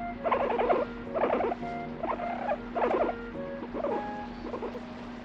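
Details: Sleepy guinea pig over three years old grumbling while drifting off to sleep: six short bursts of rapid, pulsing squeaky chatter about a second apart, fading toward the end, with a constant low hum and soft background tones.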